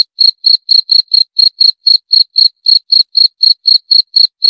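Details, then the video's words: Jangkrik, or cricket, chirping continuously with short, shrill pulses about four per second, evenly paced with no background noise. "Suara Jangkrik - 28 Minutes Cricket Sound Effect"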